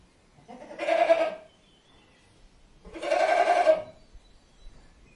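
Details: A goat (Capra hircus) gives two loud, wavering bleats about two seconds apart.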